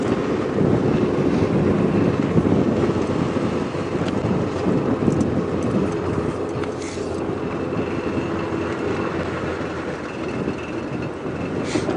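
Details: A continuous low engine drone dominates, mixed with gusty wind noise on the microphone. No animal calls stand out above the rumble.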